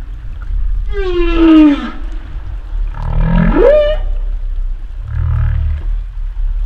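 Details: Humpback whale vocal units: a long harmonic moan sliding down in pitch, then a low rising upsweep that climbs steeply and ends on a brief tone, followed by a short, deep, rumbling grunt over a constant low water hum.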